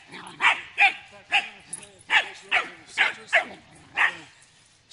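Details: Welsh Corgi puppy playing at a farm, giving a run of about nine sharp, yelping barks spaced roughly half a second apart, each with a bright, harmonic upper tone, over faint background hiss.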